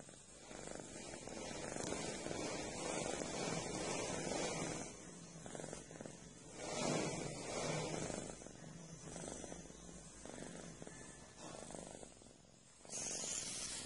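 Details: A cat purring while it kneads and massages a friend. The low, continuous rumble swells and fades in slow cycles, with a steady hiss behind it.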